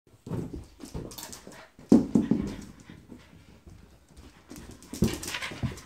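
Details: French Bulldog playing, giving short huffing pants and snorts with a few louder grunting bursts, broken by rustling and knocking sounds of play.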